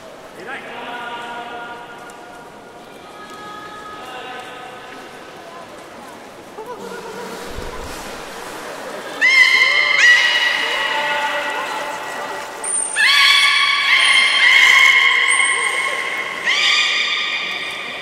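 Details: Captive belugas at Port of Nagoya Public Aquarium on 11 August 2018, during a pool transfer while keepers try to swap Nana and Hodoi. Soft harmonic moans give way after about nine seconds to louder stacked nasal squeals, with a thin steady high whistle above.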